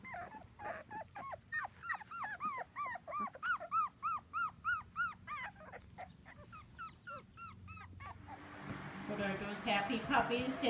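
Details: Two-week-old British Labrador Retriever puppies, Ruby's litter of six whelped in June 2015, whine in a long run of arched, rising-falling whimpers, about three per second, before rustling and handling noise take over.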